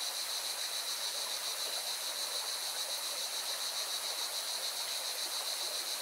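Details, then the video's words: A mountain riverside in Valencia, Spain, where singing cicadas keep up a continuous shrill, pulsing drone high above the even roar of rushing water. "Певчие цикады и шум горной реки"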